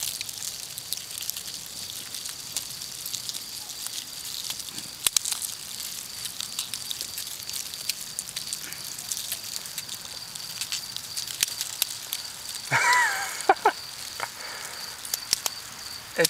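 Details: Crowds of 17-year cicadas climbing out of the soil in SW Ohio produce a continuous patter of tiny dry clicks like rain or cereal popping, over a thin high insect whine; a brief louder rustle and faint chirps come late.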